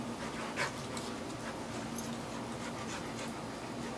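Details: Dogs at play, a visiting English Sheepdog with a chocolate Labrador Retriever, give one short, sharp yelp early on. Rhythmic panting-like huffs follow over a steady broadband hiss.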